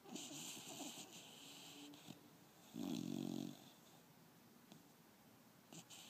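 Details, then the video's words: A five-month-old female pit bull sleeping and dreaming with her tongue out snores with soft wheezy breaths, then a louder buzzy snort near the middle, followed by quieter breathing. "Lexy snoring and dreaming"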